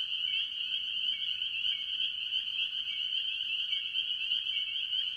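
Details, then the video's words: Tree frogs, chiefly spring peepers, in full chorus at a farm pond early in the year. Countless shrill peeps blend into a constant high ringing. Short lower chirps break through regularly over a quiet background. "Relaxing Tree Frog Sounds - Spring Peepers"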